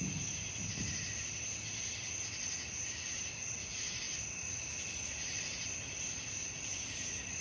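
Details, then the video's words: Nocturnal crickets calling together, offered as relaxing sleep sound: a constant shrill ringing trill with a fainter lower tone beneath, steady for the whole stretch with slight rhythmic waves in strength. "suara jangkrik malam"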